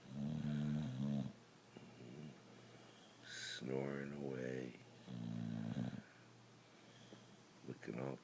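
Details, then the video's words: Brindle Boxer dog sleeping indoors and snoring: deep, rumbling, buzzy snores in three long stretches with quiet gaps, and a person speaking softly in between. "Boxer dog snoring away"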